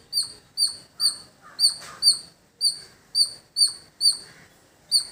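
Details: Squirrel making loud, shrill chip notes in a village, repeated in a regular pulse of roughly two per second with one short gap; faint lower bird chirps behind.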